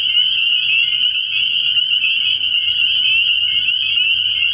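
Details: Early-year night chorus of spring peepers at a frog pond: countless high piping calls merge into a steady, ringing wall of sound with no pauses.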